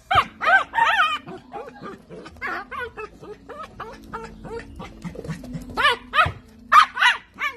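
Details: Miniature dachshund at play, firing off rapid high-pitched barks and yips, roughly three per second, some sharp and loud, others softer, with a low steady hum underneath.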